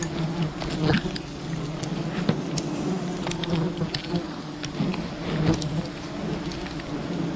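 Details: Wild bee colony disturbed during honey hunting: a dense, steady low buzzing hum with bands around 170 and 340, many bees droning together, broken by scattered clicks and brief knocks.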